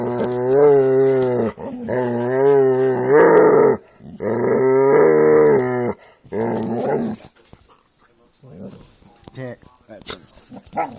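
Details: Jack Russell and pit bulls playing indoors, giving drawn-out, wavering growls in long bursts of about a second and a half, four in the first seven seconds, followed by softer scattered rustles and brief noises.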